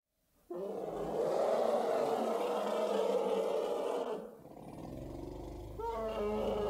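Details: African elephants charging across the plains of the Serengeti, trumpeting loudly: a harsh, sustained roaring blast of about three and a half seconds, then a lull and a second, rougher burst near the end.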